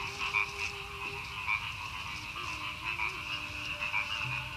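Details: Frogs croaking in rice paddies near Madiun, Indonesia, the morning after a stormy night of heavy rain; a thick unbroken chorus with a bright trilling layer and pulsing louder croaks roughly every second.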